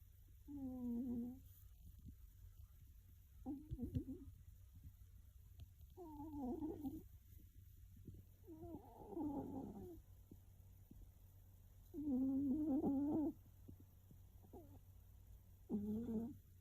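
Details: Domestic cat snoring loudly while asleep and probably dreaming, the sounds growing rougher and harsher: about seven irregular nasal snorts and grunts spaced two to three seconds apart, with a steady low background hum.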